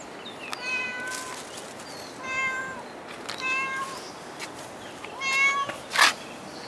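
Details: Cat at Dockyard Garden on 21 August 2016, around 6:11 in the morning, giving four clear, harmonic-rich meows about a second apart. Some meows are level and some fall at the end, with faint clicks and a short sharp noise near the end.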